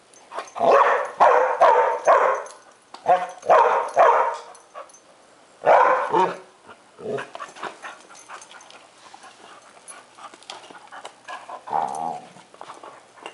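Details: Airedale Terrier Lexie throws a tantrum over another dog's rawhide, trying to get her owner to help: loud clustered barks in quick groups over the first six seconds, then softer whining yips, with a person's voice.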